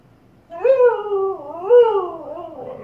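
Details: Female Siberian Husky indoors, vocalising at her own reflection in a fireplace, not realising it is herself: two drawn-out, wavering howl-like whines with rich harmonics, each rising then falling, about a second apart, in a quiet room.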